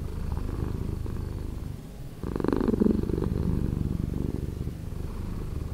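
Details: Low, steady purring of a domestic cat, slowed down, with a short pause and then a louder, fuller swell before settling back.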